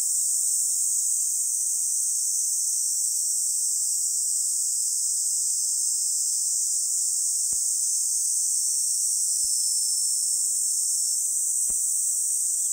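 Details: Cicadas sing in summer grassland on Songi-do island, South Korea, on 11 July 2022 at 10:15. Their high, continuous, shimmering buzz holds steady without a break, with a few faint clicks underneath.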